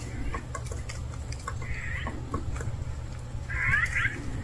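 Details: Hungry stray cat calling twice with thin, high, wavering mews, the second louder and longer, amid low rumbling background noise and scattered clicks.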